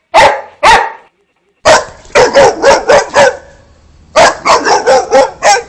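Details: Barking Boxer dog: two deep barks, a short pause, then rapid runs of harsh, broad barks in quick bursts, with a faint low hum underneath.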